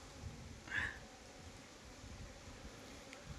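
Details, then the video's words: Beehive at a Nellore pure-honey farm: steady soft hum of honey bees, with a short bright chirp-like tone near the start and light rustling. "honey bee faming"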